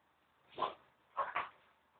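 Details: A French bulldog barks while playing, giving three short, gruff, throaty barks, the last two in a quick pair, with a faint room hush between them.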